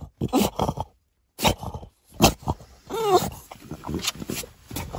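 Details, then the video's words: French Bulldog, outraged, making harsh growls and a whining, wavering vocal sweep, mixed with a voice in the background. "French bulldog is outraged"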